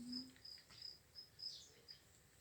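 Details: Farmed crickets at feeding time, chirping faintly in short, high-pitched tonal pulses repeated roughly three times a second over a quiet, low background hum.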